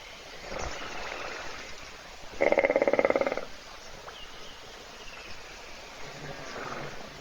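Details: One short burst of rapidly fluttering snore from a hippopotamus lying asleep in a puddle, recorded by a waterhole webcam near Kruger in South Africa while animals wait to drink; otherwise faint outdoor ambience.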